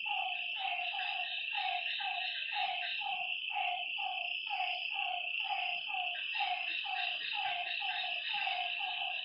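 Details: Frogs by a lake after dark: regularly spaced, reedy croaks sliding downward, roughly one per second with brief overlaps, set against a dense, steady high-pitched buzzing chorus.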